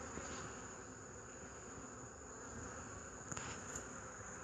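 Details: Honey bees recorded on 8 March 2015: a steady, dense buzzing hum fills the whole clip, with a faint high whine held throughout and a few soft clicks near the end.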